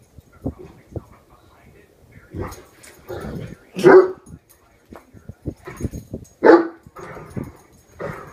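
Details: Horton, a one-year-old Great Dane, worked up over a hairbrush: two loud, drawn-out barks stand among low grumbles, huffs and soft murmuring sounds.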